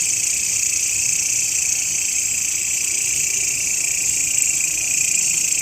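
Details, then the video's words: Grasshopper sound used by Indonesian songbird hobbyists as master audio for training birds: a steady, dense high-pitched buzzing trill, continuous without pauses, layered in several bright bands, with no other clear sounds. "SUARA BELALANG,MASTERAN BURUNG YANG SERING DI CARI-CARI OLEH KICAU MANIA"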